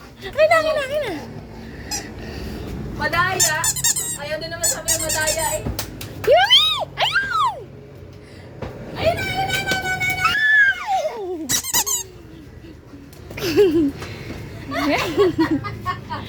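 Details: A Rottweiler puppy, just woken up and eager to play, gives shrill, sliding whines and short yelping squeaks, each rising then dropping in pitch, while a person talks nearby indoors.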